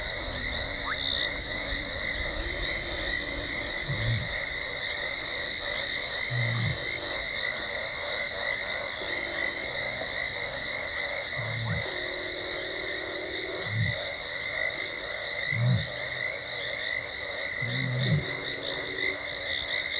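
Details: Low, rounded contact calls from lioness Talamati at Gowrie dam, Djuma Game Reserve, Sabi Sand, South Africa, December 2020, heard before she arrives: six brief moans, about two to three seconds apart, over constant high droning chorus.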